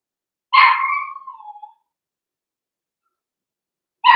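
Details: Blenheim Cavalier King Charles Spaniel puppy in a home puppy pen: one high bark that slides down into a drawn-out whine, followed by quiet and the start of another bark.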